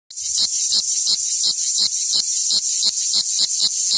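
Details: A cicada warming up from a cold start gives a loud, high, hissing buzz that throbs in steady pulses about three times a second.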